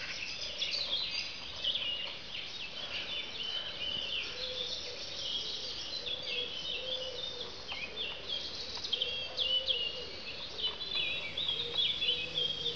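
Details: A plebeian cicada (Lyristes plebeja), Europe's largest cicada, deliberately disturbed while sucking sap, gives harsh, irregular buzzing bursts with legs and cymbals, showing displeasure.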